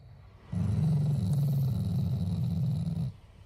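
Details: Pet Shiba Inu, a loving family dog, growling out of affection rather than anger: a low, rumbling, continuous growl lasting about two and a half seconds with fine rapid pulsing throughout.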